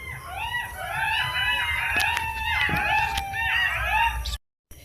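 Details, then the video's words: Several golden jackals in a field at night during Kali Puja/Diwali howl together in overlapping, wavering wails that rise and fall, with a few sharp cracks from firecrackers nearby. "এই যে বন্ধুরা শুনতে পাচ্ছেন মাঠেতে কত শিয়ালগুলো আনন্দ উপভোগ করছে।"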